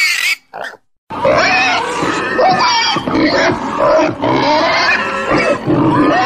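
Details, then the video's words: Pig sounds: a few short squeaks, then a continuous harsh mix of overlapping squeals and grunts that keeps rising and falling until the end. "Domuz sesi🐷Pig's voice🐖Schweinsstimme🐷Donuz səsi🐖豬的聲音🐷la voix du cochon"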